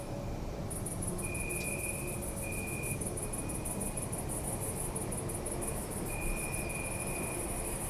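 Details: After a quiet first moment, rapid high cricket chirping starts and runs on steadily, with intermittent long trills from another insect and a faint click, over low rumble of a city park at night.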